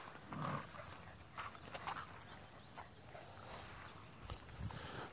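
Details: Dogue de Bordeaux puppies from champion lines, born January 31, 2017, outdoors: short scattered yelps and low grunts come in brief bursts over rustling and outdoor background noise.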